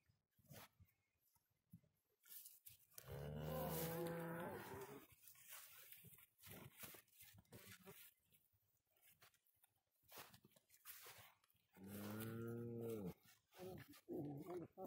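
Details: Grazing cows on green pasture give two long, low, droning moos of about two seconds and one second each, with a man speaking Spanish in between.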